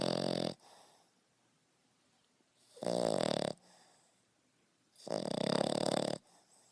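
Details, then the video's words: A 5.5-month-old male French Bulldog puppy snores in loud, raspy bursts, each lasting about a second, with quiet pauses between. "French Bulldog Snoring"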